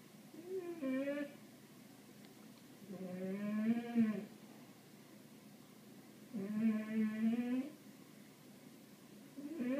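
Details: Watching birds, Ralph the cat gives long, rich meows about a second each. Three full calls and the start of a fourth come every two to three seconds, with a slight rise and fall in pitch, indoors.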